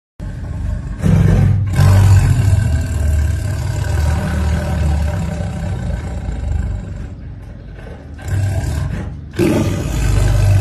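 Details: A tiger gives deep, rumbling roars in long, throaty bursts that swell and fade.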